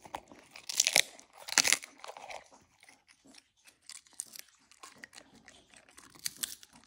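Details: Huskies crunching Icelandic cod skin treats indoors in a small room: loud, sharp crunches in irregular bursts with quieter chewing between them, then more crisp bites toward the end.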